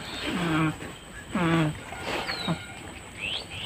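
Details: A goat gives low, drawn-out groans that dip in pitch; goats groan for various reasons, including healthy ones in late pregnancy when lying down near kidding, and C gives this as a sign of fever and discomfort.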